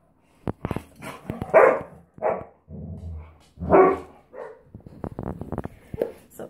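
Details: Standard Poodles, three breeding females and Onyx, playing: several loud short barks spaced a second or two apart, mixed with a low grumbling growl and clicking, scuffling movement noises.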